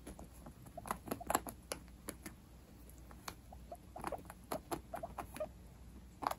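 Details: Pet guinea pigs opening their Christmas gifts, giving short soft squeaky notes in scattered clusters amid crisp rustling and tearing of wrapping indoors.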